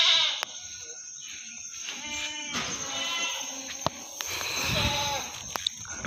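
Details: Meat goats at the Singosari animal market in Malang: a wavering, harmonic bleat rises midway and fades, with market chatter, a voice talking prices and sharp clicks around it.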